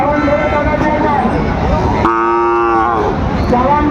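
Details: Sahiwal bull calves at a cattle market, 15 December 2025, being bought by a Dhaka farmer: one short, tonal, harmonic-rich calf moo under a second long near mid-clip, a fainter call near the end, over steady crowd chatter and talk.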